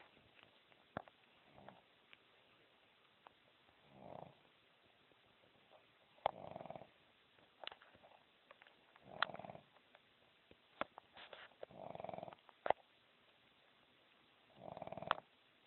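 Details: Dog snoring while asleep: quiet, rasping breaths recurring every few seconds, some faint and some fuller, with occasional clicks and light rustling.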